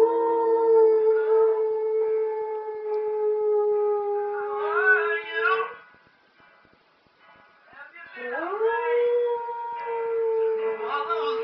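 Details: Spliff, a pet dog, howling to ELO's Telephone Line: drawn-out level tones with wavering bursts, a short silent gap, then a howl that swoops up from low and holds steady, with music and voices behind.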